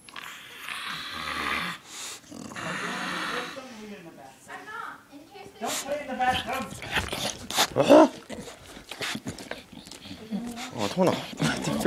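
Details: Riled-up pet dog snarling indoors: throaty, tonal snarls and growly whines rise and fall in bursts, overlapping with people talking close by.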